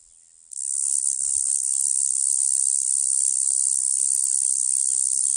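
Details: A cicada starts up suddenly after a brief quiet moment and holds a loud, continuous, shrill buzz for the rest of the stretch, with tiny flickering pulses within the drone.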